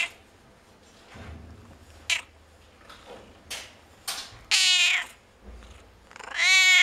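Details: Noisy cats at a veterinary clinic, possibly Burmese, give short chirps followed by long, harmonic meows and drawn-out yowls.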